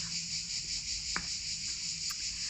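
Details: Cicadas singing in a park in mid-July, over the weekend of the 14th and 15th: a continuous high, dense buzzing drone holds steady throughout, broken only by a brief click.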